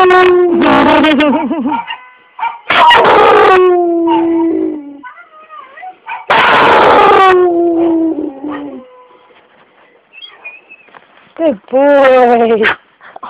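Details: An 8-year-old Bullmastiff and red nose Pit Bull mix named Mac 'n' Cheez, taught to sing by a neighbour in summer 2011, howls along to Happy Birthday: wavering, drawn-out howls in repeated phrases, with voices and clapping between.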